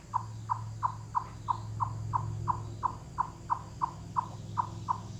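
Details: In the Great Smoky Mountains in late summer, a chipmunk gives a steady series of low, hollow, wood-knock-like clucks, about three each second, loud calls with full-body effort that carry hundreds of yards through the forest.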